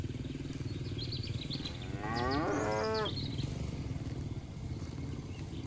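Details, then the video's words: Cattle herd grazing in a green field, one cow giving a single drawn-out moo of about a second with rich stacked harmonics, light bird chirps just before it, over a steady low rumble. "Suara Sapi Moo"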